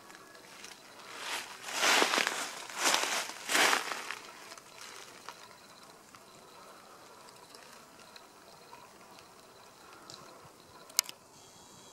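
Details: Bursts of rustling and crackling noise over a low steady hiss, quieter afterwards, with one sharp click near the end.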